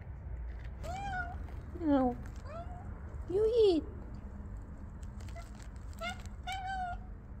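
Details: Angry male house cat meowing indoors around feeding time: about seven clear, wavering meows, several rising then falling, spaced irregularly over seven seconds, with a low background hum.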